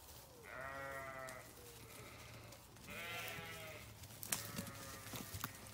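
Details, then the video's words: Sheep give two drawn-out, tremulous bleats about two seconds apart, a fainter bleat trailing after the first, followed by sharp clicks and shuffling movement noises. "Sheep Sounds"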